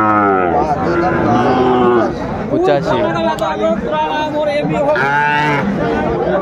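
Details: Sahiwal bull calves at a Kurigram cattle market in Bangladesh, 22 March 2025, give a loud sustained moo lasting about two seconds, followed by shorter wavering lows mixed with market chatter and nearby voices.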